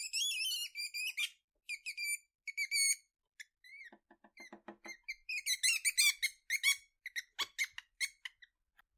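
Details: Weasel uttering a long series of shrill, wavering squeaks and short chirps, some fast and stuttering, interrupted by a patch of lower, rapid clicking pulses midway before the squeaking resumes; otherwise quiet.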